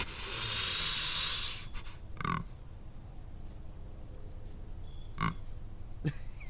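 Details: White-tailed deer (Odocoileus virginianus), bark.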